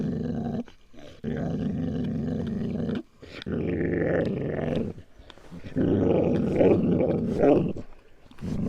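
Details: Eleven-month-old dog growling aggressively when asked to give up its meat: three long, deep, rough growls separated by brief silences, the last one louder and harsher.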